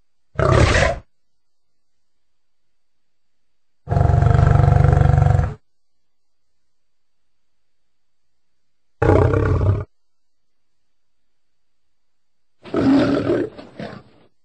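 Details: Lion giving four separate deep, rough roaring bursts, each under two seconds, low and powerful, parted by dead silence.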